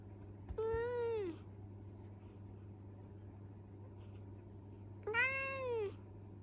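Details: Young male Minuet kitten, scolded by its owner for mischief, mumbling excuses: two drawn-out, arching meows, each under a second long, about four seconds apart, over a steady low electrical hum.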